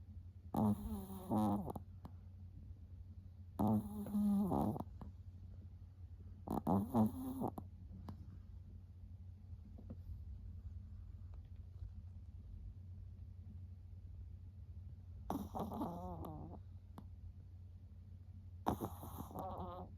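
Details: Chihuahua snoring while asleep with its eyes half open: a series of rasping, buzzy snores, some in pairs, spaced irregularly over twenty seconds, with a long quiet stretch in the middle and a low steady hum throughout.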